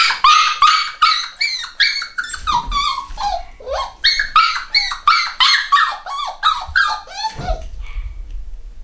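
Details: Litter of home-bred black Cockapoo puppies, eight weeks old, in the UK, yapping in a rapid, continuous chorus of high, sharp yips and squeaky barks, about three each second, some sliding downward, with occasional low thumps.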